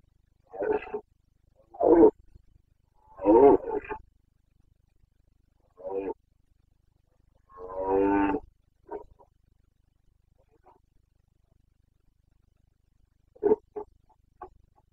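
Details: Carpathian red deer stag during the autumn rut in the forests of Bucovina, Romania, 29 September 2022: repeated harsh, throaty roars and short grunts, irregularly spaced, including a longer drawn-out bellow, with quiet gaps between.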